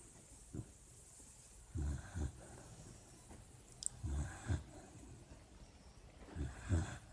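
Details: Dreaming puppy asleep, giving soft paired snorts and snores in low bursts every couple of seconds, with a tiny click partway through and a quiet steady background.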